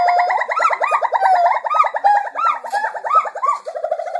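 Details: Gibbons singing at a gibbon center: a rapid run of loud, fluting whoops, several notes per second, some sweeping upward.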